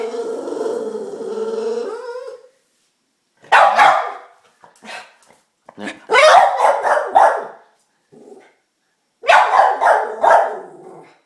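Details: Diesel the dog, excited and anxious for a treat, opens with a sustained, wavering whine of over two seconds, then breaks into rapid, choppy bursts of yips and bark-like cries with short silences between.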